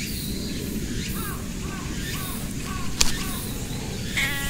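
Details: Stray cat met along a hiking trail, making odd soft meows while being stroked, recorded on a GoPro with an external mic; short curving mewing calls repeat about every half second over steady outdoor background noise.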